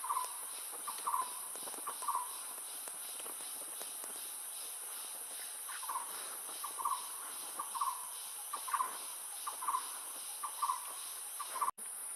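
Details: A siamang from a family of four (adult male, adult female with clinging infant, subadult) in forest gives short, hoarse barking notes about once a second over a steady insect drone.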